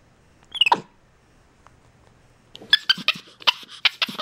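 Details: A male pet capuchin monkey communicating with his owner gives one sharp, squeaky chirp, then falls quiet for two seconds. A quick string of short, high squeaks and chattering chirps follows.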